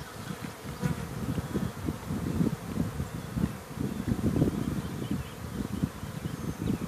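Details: Many honey bees active outside a hive after rain, buzzing around all at once: a dense, continuous low droning hum with overlapping individual buzzes swelling and fading as bees fly past.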